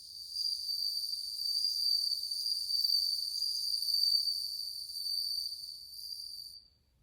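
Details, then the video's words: Many bell crickets (suzumushi) singing in August 2020: a bright, continuous ringing trill with shimmering upper overtones that holds steady for about six seconds, then cuts off, leaving near silence. "鈴虫の鳴き声 スズムシ音色４"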